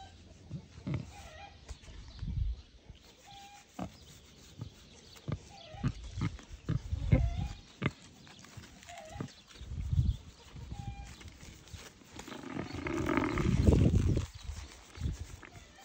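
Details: Young wild boar pair, affectionate and cared for at home, one recovering from a tummy upset; deep grunts spaced a second or two apart, then a louder, rougher snorting burst near the end.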